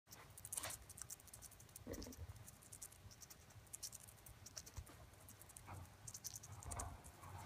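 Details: A chipmunk crunches steadily on fresh corn at the start of corn season, with quick crisp bites and scratchy nibbling sounds.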